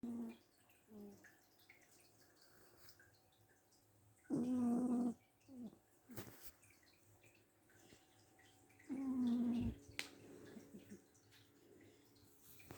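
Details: Sleeping cat snoring very loudly indoors: about a second of harsh, tonal droning breath, repeated roughly every five seconds, with quiet rustles between.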